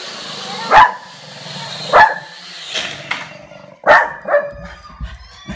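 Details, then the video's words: A dog barking at a drone gives a few spaced, forceful barks, one about every second, with softer barks between them, over a constant high mechanical whine. "Dog barking at a drone"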